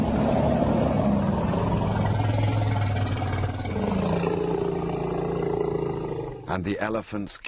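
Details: Lion in a wildlife documentary, a deep, rough, sustained growling roar lasting about six seconds, steady and low with some rise and fall, followed by a brief burst of narration at the end.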